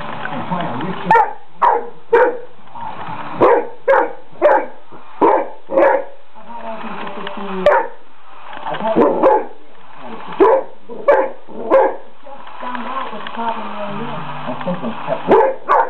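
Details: Great Dane indoors, barking at a toy mouse: a long run of short, sharp barks, about one every half second to second, pausing briefly midway, with some low talking between barks.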